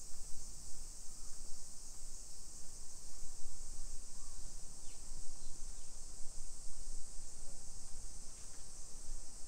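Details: Summer cicada chorus on a suburban Nagoya hillside street in Nisshin, Japan, 28 July 2021 at 1 PM. A bright, sustained high buzz runs steadily while heavier low rumble from footsteps and the street pulses underneath.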